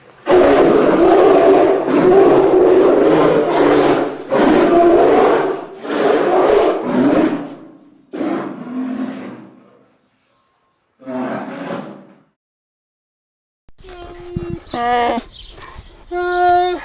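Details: Polar bear. Rough, throaty roars come from a polar bear in a rapid run of bursts, each breath rasping and loud. After a short pause, higher, tonal whining moans follow.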